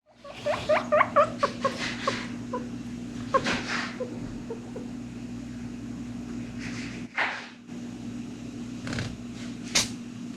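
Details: Two pet guinea pigs, Zucchin and Pumpkin, indoors; Zucchin sneezes into Pumpkin's ear. Opens with a run of soft, excited squeaky wheeks, then sharp sneezy bursts and scuffles over a steady low hum.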